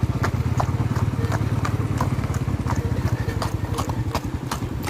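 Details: Hoofbeats of a horse under a rider: sharp, clattering clip-clop strikes in a quick, uneven rhythm throughout, over a steady low rumbling hum.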